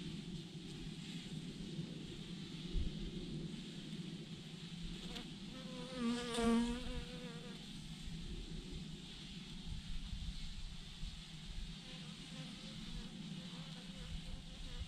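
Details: Honey bees swarming in a massive clump on a branch; softer background hum with one bee passing close mid-way, a loud buzzing whine swelling and fading, wind rumble underneath.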